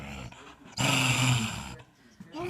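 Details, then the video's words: Dog making an odd sound: a drawn-out, low, moaning groan of about one second with a nasal, harmonic tone, preceded and followed by quieter sounds and a person speaking. "dog makes weird sound"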